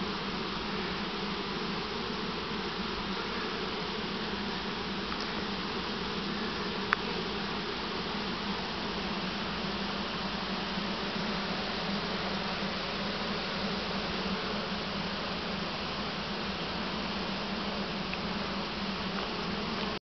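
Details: A dense, steady drone of a honey bee swarm buzzing together, unbroken throughout, as the swarm from a nearby swarm trap is put into a single deep hive it didn't like.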